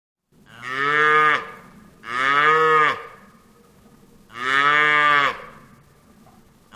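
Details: Three separate cow moos about a second apart. Each is a deep, nasal bellow that starts firmly and cuts off sharply, against quiet background hiss.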